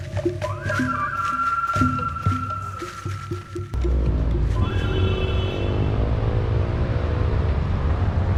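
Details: Monkeys calling loudly from the treetops in the Chiapas jungle, Mexico, in December, a deep, rough, rumbling roar that follows a stretch of music.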